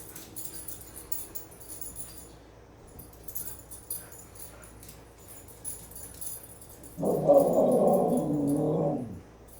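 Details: Impatient husky, eager to get going, lets out one drawn-out talking howl near the end, about two seconds long, holding steady and then sagging in pitch, after a stretch of quiet indoor background with faint scuffs.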